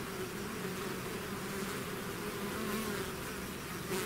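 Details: A swarm of bees out of its hive fills the air with a bright, constant buzz. Two clear humming tones waver and overlap throughout.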